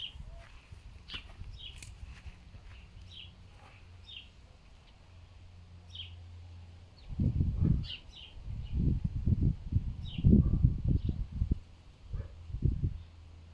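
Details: Fox rescued from a fur farm and kept as a pet, grunting like a pig in strong wind: after a quiet windy stretch comes a run of low, rough grunts in close bursts, with faint high bird chirps scattered throughout.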